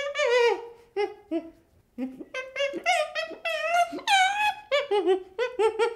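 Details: Young chimpanzee voicing a series of short tonal cries and drawn-out wavering whimpers, some sliding downward, separated by brief pauses in a quiet indoor setting.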